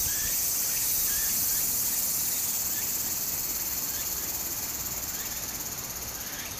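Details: Summer cicada chorus by a Japanese brook, a continuous piercing hiss-like buzz that holds throughout and eases slightly toward the end, over the gentle wash of running water with a few faint chirps.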